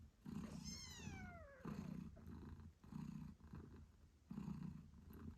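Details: Eight-day-old British Shorthair kittens with their purring mother Moon Stone; one long high kitten meow slides downward early, then the mother's low rhythmic purr rises and falls in breaths about every 1.3 seconds.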